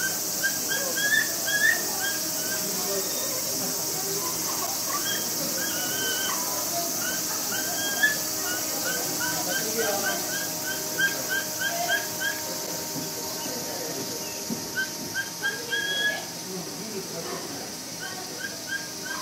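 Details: Capybara mother Momiji at Nagasaki Bio Park, alone in a small enclosure with her four-week-old babies Choco and Donut, terrified by a film crew intruding. Rapid strings of brief high-pitched chirping squeaks run nearly throughout, with a constant background hiss.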